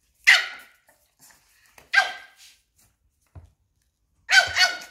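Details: During a standoff, a tiny Papillon faces down a Belgian Malinois and corners the big dog. Three piercing, bright barks are spaced over about two seconds each, with faint thumps and quiet gaps between.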